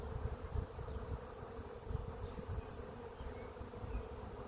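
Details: Swarming bees gathered at a swarm trap, clustered on a tree: a steady, unbroken droning hum over soft low rumble.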